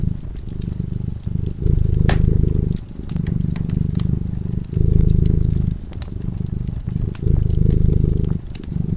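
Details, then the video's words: A slumbering cat beside a glowing hearth purrs continuously, a buzzing low vibration pulsing in alternating strong and weaker stretches, with frequent sharp crackles from the flames. "Purring cat"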